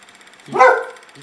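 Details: One sharp, rising-then-falling bark from Sledge Hammer, a pet dog spooked by nothing in the backyard, cut off cleanly with faint background hiss and a trailing human voice.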